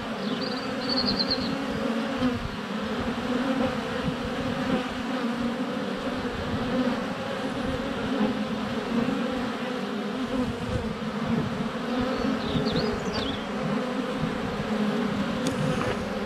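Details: Swarming honey bees at the hive entrance, recorded up close on a GoPro Hero 7 Black in sunny February weather: thick unbroken humming throughout, a short high bird trill early on and faint chirps later.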